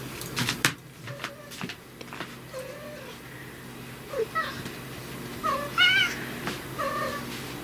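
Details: Riki, a brown tabby house cat whose voice changes depending on whether dad is home, gives a series of short mid-pitched meows and one higher, rising meow, with small indoor noises between the calls.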